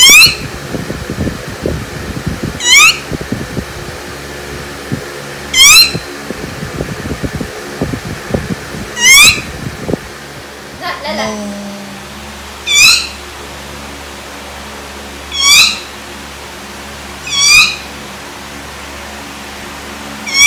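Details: Dog squeaking in reaction to being teased: short, high, thin squeaks that rise then fall, repeated roughly every two and a half to three seconds, with rustling and handling noise through the first half.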